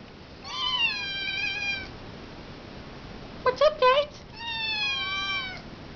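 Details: Tiny kittens meowing because they want food, indoors: two long, steady, high meows of about a second and a half each, with a short lower-pitched voiced burst between them.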